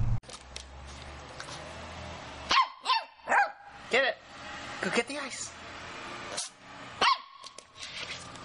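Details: Corgi barking in a run of sharp, ringing barks, roughly every half to one second after a quiet start, with household background noise and a person urging it to fetch ice.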